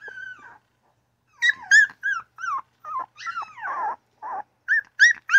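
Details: Newborn puppy crying and yapping: a long whine near the start, a pause, then a run of short, high, squeaky yelps with bent, wavering pitch, some rising and some falling, bunched closely in the second half.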